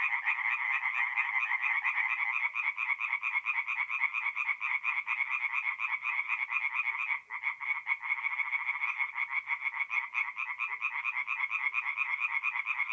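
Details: Tree frogs singing at night in a forest pond in mid-April, North-East Italy: a dense, continuous chorus of rapid overlapping croaks, many callers at once, with a brief dip in the middle and no other clear sounds.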